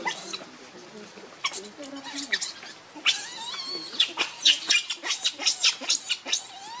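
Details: Baby monkey Leo (Rainbow) begging its mother for milk, crying pitifully; after quieter murmurs, a burst of shrill repeated squeals about four per second, with faint voices beneath.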